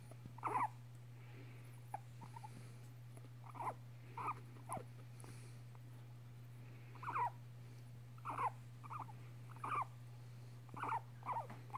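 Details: Five-and-a-half-year-old female pet guinea pig gives soft repeated squeaks as she licks a man's nose; brief chirpy notes every one to two seconds, often doubled, with a constant low hum in the room.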